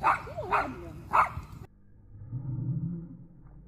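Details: Happy dogs at excited play on a cold morning in the woods. Three quick barks with a short whine, then low rumbling noise.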